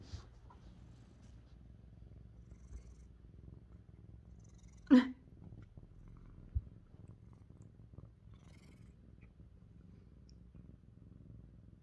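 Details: Mićo, a male lynx point Siamese cat, purrs softly during brushing, a quiet low hum, broken near the midpoint by a sharp brief knock and later a small thump.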